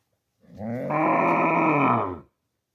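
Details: A cow gives one loud, steady moo lasting nearly two seconds, a low droning tone with rich overtones that brightens partway through and then stops abruptly; no other sounds are heard.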